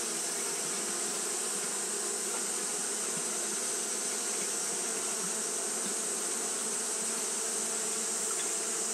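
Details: Steady wing-fanning hum from Japanese honey bees during hot weather, low and layered, unchanging in loudness, with a persistent high hiss running over it.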